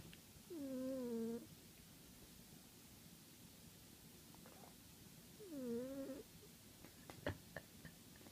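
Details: Domestic cat snoring while asleep, a regular habit; two soft whistling, nasal snores about five seconds apart, each sliding down then leveling off, with faint room hiss and a few light clicks near the end.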